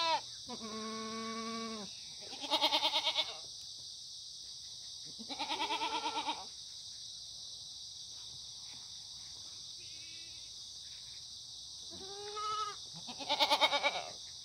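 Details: Free-range Korean black goats on a farm at the foot of Muchuksan, Sangdong-myeon, Gimhae, South Gyeongsang, on a sunny Monday morning in September: four loud, wavering, harmonic-rich bleats, each one to two seconds long, over a constant high insect drone.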